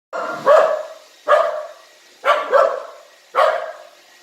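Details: Pet dog barking at a new robot vacuum it is unsure of: four sharp, mid-pitched barks, some doubled, spaced about a second apart, with a faint steady hum of the vacuum behind.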